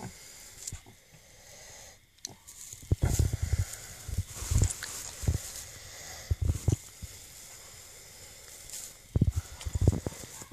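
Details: Mini pig sow named Biscuit giving birth to her second litter on 9/22/2014; short low grunts and snorts in bursts, with rustling and a person's quiet encouraging voice nearby.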